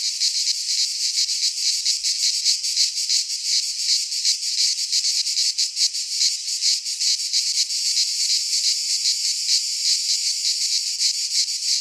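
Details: Cicadas singing in midsummer in a Greek pine forest: a dense, high, hissing buzz with steady throbbing pulses about three per second, loud and unbroken throughout, no other sounds.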